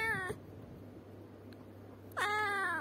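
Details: Two meows from a house cat: the tail end of one opens the recording, then after nearly two seconds of near-silence with a low hum, a loud, falling-then-level meow runs to the end.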